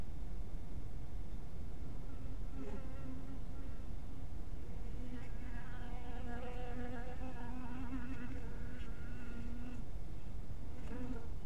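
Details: Honey bees at a small bee house in twilight light: a low, steady droning buzz with overtones, swelling between about five and ten seconds as bees pass close, their pitch wavering up and down, over a constant rumbling background.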